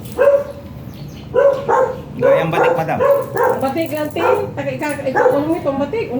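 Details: Repeated yappy barking from a Shih Tzu at a stud service in San Jacinto, Pangasinan, about one bark per second, with human voices mixing in during the second half.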